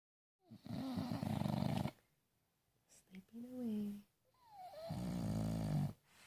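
An English bulldog snores in deep, rattling rumbles, two long breaths with a brief whine between.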